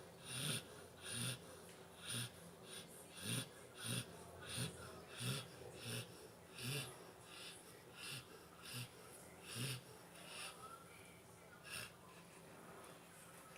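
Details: Nine-month-old Labrador Retriever named Pantera, fast asleep, gives a long run of wheezy snores: hissing inhalations with low grunting bursts, regular at first, about every 0.7 seconds, then fading and thinning out.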